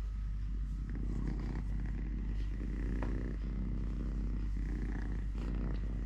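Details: A domestic cat named Totoshka, living normally on three legs, gives a constant low purr with slight rhythmic swells, accompanied by faint rustles and small clicking sounds.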